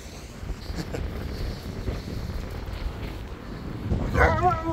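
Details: Old Siberian Husky, eager to play outdoors on a rainy day, gives a brief high, wavering whine-yip near the end after several seconds of rustling and footsteps; a person's voice is heard urging it to go for a run.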